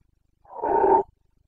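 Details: Carpathian red deer stag in Bucovina during the breeding season in late September, giving a single short harsh roar, strong and gravelly, lasting about half a second against a silent background.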